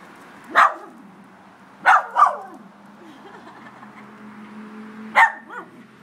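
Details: Miniature Schnauzer confronting a crab at home, giving sharp single barks with a quick double bark near two seconds and another after a pause of about three seconds; soft whining tones and low background hum between barks.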